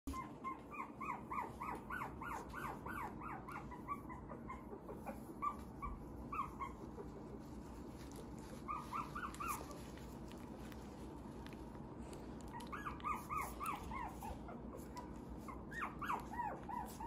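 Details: Young male Tiny Poodle giving soft, high-pitched whimpering yips in quick clusters, with pauses between the bursts, over faint room noise.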